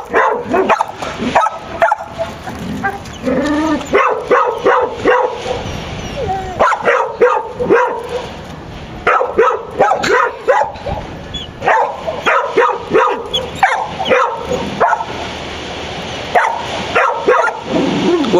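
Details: Excited dog locating a marmot beneath a pickup, giving rapid bursts of high yelping barks in runs of several, pausing briefly between bouts, with occasional whimpers and a steady outdoor hiss behind.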